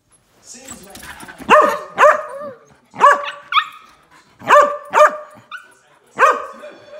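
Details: Husky meeting a 20-week-old golden retriever puppy and not impressed: short, tonal, whining yowls in pairs, repeated roughly every one and a half seconds, each with a bending pitch and strong overtones.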